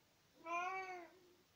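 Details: Pet tomcat chatting to his owner in spring 2020, giving a single clear meow of about one second, full and tonal with many harmonics, holding steady before gently falling away, with no other sounds in the quiet room.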